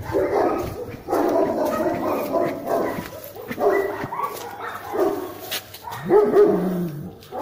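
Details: German Shepherd in a guard-protection test; loud barks in clusters about every second, with a rising whine near the end and faint voices.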